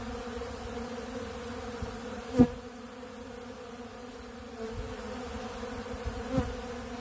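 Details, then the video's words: Honeybees gathered on ultra bee pollen in a big blue pollen feeder give a constant humming drone, broken by two sharp knocks and a softer tap. "Therapeutic Treatment Sounds Of The Honeybees"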